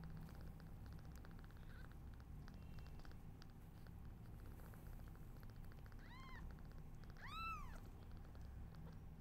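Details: Newborn kittens, their mother unwell, give two bright, strongly harmonic mews about a second apart, the second louder and longer, after several seconds of quiet low rumble.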